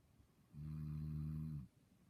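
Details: A single low, droning snore from a dog asleep and dreaming, a steady rumble lasting about a second, framed by quiet.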